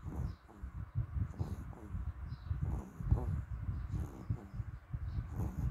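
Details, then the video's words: Odd breathing from a dog, recorded 5 May 2021: deep, grainy, pulsing puffs repeating irregularly at about two or three per second, with soft distant chirping above. "Dog weird breathing sound"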